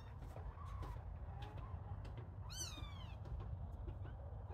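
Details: A little kitten during play lets out one clear, bending meow midway through, with faint softer squeaks before it and a constant low rumble underneath.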